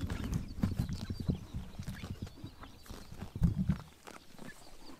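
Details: Summer morning in Mongolia with horses biting grass in the sun: dense low thudding and munching close by, clustered bursts of heavy chewing or hoof knocks, fading to quieter crunching near the end.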